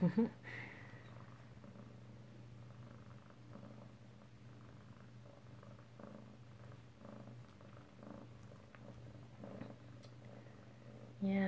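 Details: Soft, sustained low purring from an Alabama kitten filmed close-up indoors on 7 February 2018, steady throughout, with scattered small clicks and handling noises and a louder bump at start and end.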